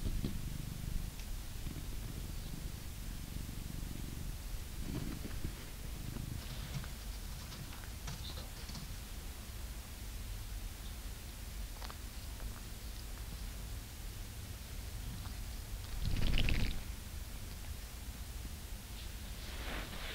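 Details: Grown blue British Shorthair cat purring while being brushed indoors in England; a continuous low rumbling purr runs throughout, with brushing rustles and a brief louder scratchy burst near the end.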